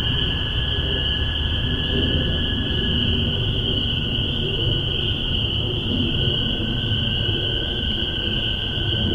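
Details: Many spring peepers calling together in Massachusetts in spring 2015, recorded on a spaced omni microphone pair into a Tascam DR-40. Their high, shrill peeps blend into a constant ringing wall of sound, with a softer lower band and low-frequency ambient noise.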